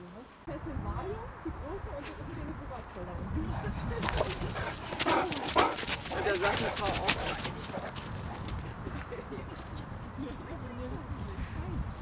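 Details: Anton, a Great Dane, gives a cluster of sharp, loud barks through the middle seconds, closely spaced and irregular, with human speech running before and after.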